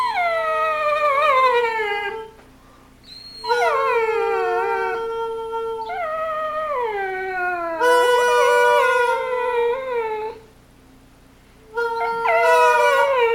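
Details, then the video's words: Dog howling in long harmonic-rich wails that slide downward, several drawn-out cries separated by short pauses, with a faint steady hum underneath. "DOG TALKING"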